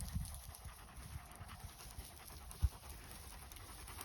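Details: Akbash, a Turkish shepherd dog, out on a walk in the village countryside, panting in quick soft breathy bursts of about four per second, low and steady, with one sharp thump near the end.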